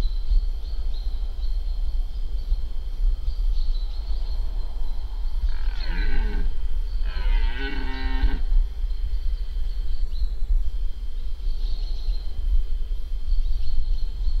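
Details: Rutting red deer, an irregular fourteen-pointer stag in Spiš during the 2025 rut, gives two deep, drawn-out groaning roars in quick succession, rich in harmonics, over constant low background rumble and a thin high whine.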